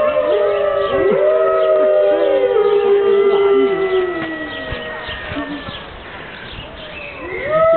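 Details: Five Siberian wolves at Berlin Zoo on a rainy morning howl together, several long drawn-out voices overlapping, some holding steady while others slide down and rise again, the chorus thinning toward the end before a fresh rising howl begins.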